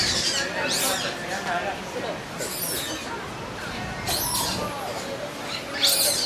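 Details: Infant Abyssinian colobus, 21 days old, calling desperately in its Ueno Zoo enclosure while only older brothers approach; broad shrill screeches come in spaced bursts, with softer lower chatter and crowd noise between them.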